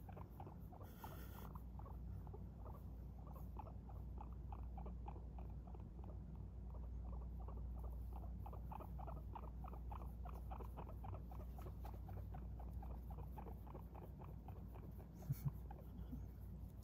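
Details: Pet guinea pig named Okome, wrapped in clothes, which seems to make her feel safe. Steady run of soft, short clicking pulses, about three per second, over a low constant indoor hum.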